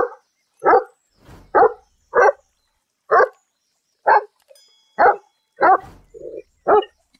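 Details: Domestic dog of a popular breed barking about ten times in a fairly even rhythm of short, throaty barks, with a soft low grumble between two of them near the end.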